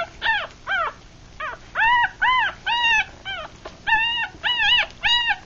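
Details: Three-day-old puppies, six in the litter of a Rat Terrier dam and Chihuahua sire, blind and feeding; rapid series of high, bowed squeals and yips, some short and falling, others longer and level, about two each second.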